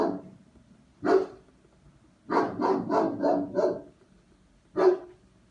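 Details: German Shepherd during a dog test, number 39: a single deep bark, then a fast run of five loud barks, then one more bark after a pause, in a quiet room.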